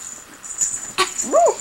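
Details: Spunky, a kitten indoors near a couch as furniture is moved, gives one short mewing cry that arches up and falls at the end, after a sharp click, over a faint steady high-pitched hiss.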